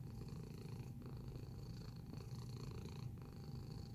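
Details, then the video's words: Domestic cat purring in close-up: a continuous low, rumbling purr with soft breaks roughly once a second as the breath turns, steady in loudness, over a faint constant electrical hum. "Purring Sound Effect"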